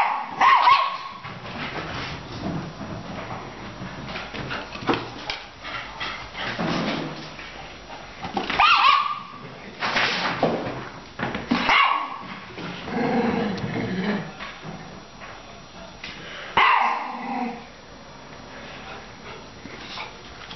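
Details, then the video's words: Labrador puppy named Fizzy playing with Tschappi, a senior Coton de Tuléar; scattered sharp barks and yips in uneven bursts, some whimpering, with quieter gaps between outbursts. "Fizzy (labrador puppy) playing with Tschappi (senior Coton de Tuléar)"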